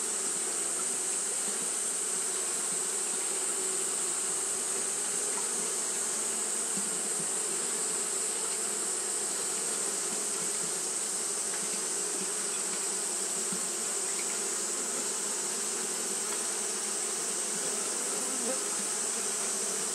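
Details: Fanning Japanese honey bees on a hot day produce a constant droning hum, layered low tones under a bright sustained hiss, with no pauses across the whole stretch.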